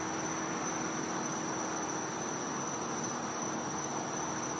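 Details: Night-time winter chorus of a cicada in a Floridian back yard, heard as one constant thin high tone that never pauses, set against heavy hissing background noise and a soft low drone.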